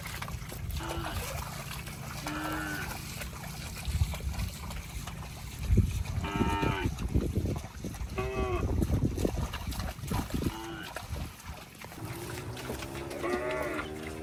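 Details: Cows wading through water in a rice field, with brief moos scattered across the recording and loud splashing and sloshing in the middle, followed by a longer, lower drawn-out call near the end.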